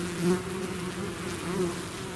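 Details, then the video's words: Bee swarm out of its hive, short burst of dense humming with two bees passing near, swelling louder briefly, over the steady background drone. "bees therapy swarm natural buzzing sound"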